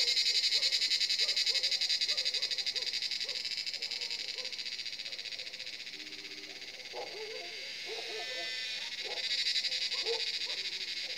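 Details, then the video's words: Cicadas calling from a forest at Jabbarkhet Estate as the sun sets, around seven in the evening: a dense, steady high buzzing drone that swells and fades slightly, with scattered lower croaking chirps beneath. "Cicada sound in forest"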